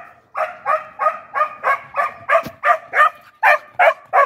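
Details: Border Collie left at home while its partner is taken out separately for a walk, giving a steady run of short, tonal whining yelps, about three per second, each note bright and slightly rising, with a brief soft rustle in the middle.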